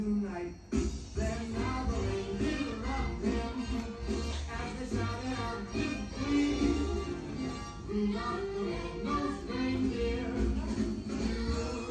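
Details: A cheerful song with sung vocals and instrumental backing plays throughout, and no animal voice is heard.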